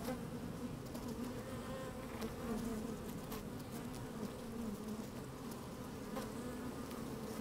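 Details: Busy honey bees in an opened hive, filmed on a sunny, breezy day with the microphone inside the hive; an unbroken low, dense hum with faint rising and falling tones and light scattered clicks.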